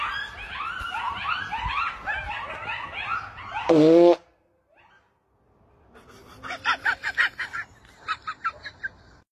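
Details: At night, a pack of coyotes (thought to be at least 10) yips and howls in a wavering chorus, heard from a deck. A loud human fart silences them, followed by laughter.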